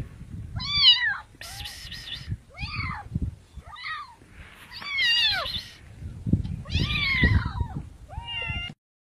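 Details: Cats giving a rapid run of meows, arched harmonic calls alternating with harsher, noisier wails, about eight in nine seconds, over continuous low rumbling background noise.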